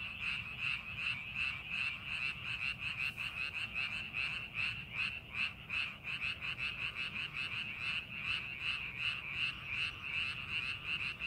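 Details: Paddy frogs croaking as rice fields are prepared for farming; a continuous chorus of short, rattling pulses repeating rapidly and evenly, many frogs overlapping, over a soft low background rumble.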